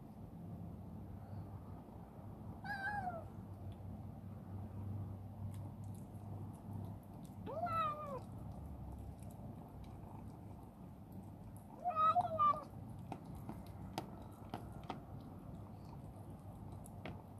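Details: Chibikuro, a rescued female black former stray turned affectionate, living in a warehouse and eating heartily; three separate short meows spaced several seconds apart, the last a quick double, over steady low hum and faint clicks.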